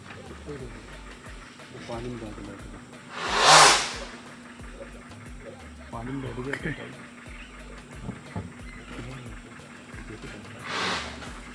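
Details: An Indian gaur in Pench National Park, Madhya Pradesh, gives two sharp, breathy snorts several seconds apart, an alarm that made a tigress change her route, over a low murmur of voices and engine.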